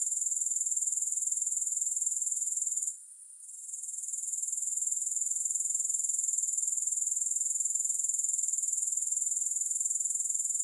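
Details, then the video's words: Grasshoppers in a soothing, music-free recording: a high, thin, continuous pulsing trill, about four pulses a second, briefly dipping to near silence around the third second before resuming steadily. "3 Hours of Grass Hopper Sounds to help you Sleep, Focus & Relax."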